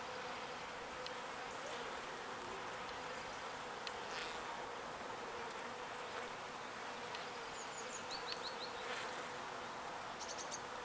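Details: Small bees gathering pollen and returning it to their hive, heard as a continuous droning swarm hum, even and unwavering, with a few brief high chirps near the end.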